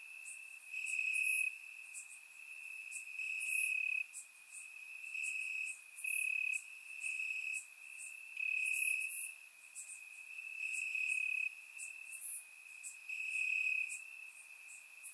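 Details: Night chorus of crickets in grass during a warm Bulgarian summer, caught on a surround microphone: a continuous high-pitched trill pulsing louder roughly every two to two and a half seconds, with brief high clicks above.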